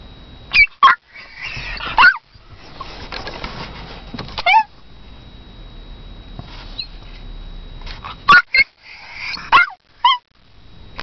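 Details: Barking toy poodle calling for her owner. Sharp, high yaps arrive in loose clusters of two or three, separated by several seconds of low room hum, ending with a few quick single barks.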